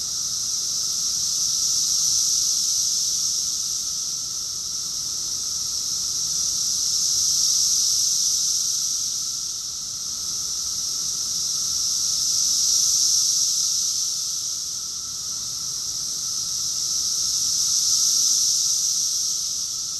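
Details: Cicada chorus recorded in June 2021 in Rockville, Maryland, USA: a dense, steady high-pitched buzzing drone that swells and fades in slow waves roughly every five seconds, with no other clear sounds.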